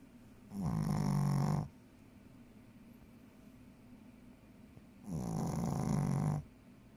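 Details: Sleeping Shih Tzu snoring, two long grunting snores roughly four seconds apart, each a rasping, buzzy low rumble lasting just over a second, quiet room between breaths.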